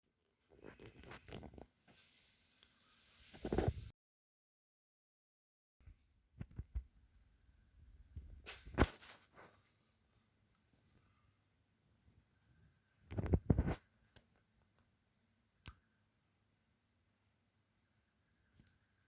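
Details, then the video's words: Sleeping kitten curled in an unusual position, sneezing: several sharp, noisy bursts spaced a few seconds apart, each short and explosive, with softer rustling and snuffling in between in a quiet indoor room. "Kitten Sneezing"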